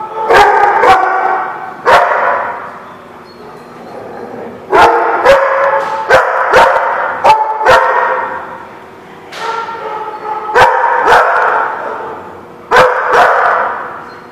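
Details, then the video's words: Several dogs at a dog lot on 21 November 2016 barking in irregular bursts, about two barks a second at peaks, with sharp knocking clicks and short pauses between volleys. "The Barking Lot"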